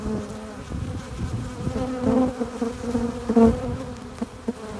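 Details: Hive entrance busy with honey bees bringing in pollen and nectar: continuous layered humming, with loud close fly-bys swelling around the middle and again near three and a half seconds.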